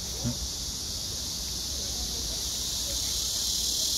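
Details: A blackish cicada drones in a steady, harsh, hissing buzz without a break, recorded 31 August 2024.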